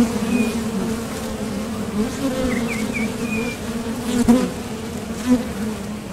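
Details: Honeybees flying at a top bar hive entrance, heading out to or landing back from nectar foraging: constant low hum, a couple of sharper buzzes as bees pass near, and faint distant bird whistles.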